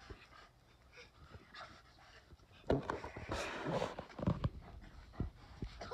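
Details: Daikichi, a 7-year-old male Bernese Mountain Dog, snaps back angrily on a hot daytime of 29 April 2020 at a persistent younger sister; panting gives way to a burst of rough, throaty vocal noise midway, then scattered scuffles.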